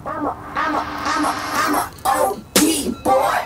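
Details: Music with a voice and short coughing or throat-clearing bursts, and no animal sound stands out.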